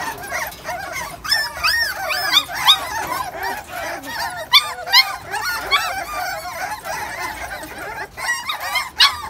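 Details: Dense chorus of thin, high, quavering whimpers and occasional sharp yips from a litter of XL American Bully puppies, 43 days old, of imported bloodline.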